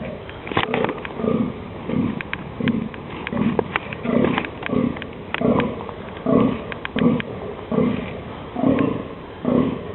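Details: On 11 October 2008, in the dunes during mating season, a rutting male deer gives deep, hoarse grunting barks, repeated steadily a little faster than once a second, announcing the rut.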